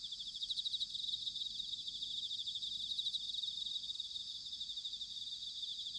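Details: Chorus of bell crickets on an autumn night at Sanuki, Chiba, Japan: a dense, even, high-pitched pulsing trill, fairly soft, with a light wash of low background noise throughout.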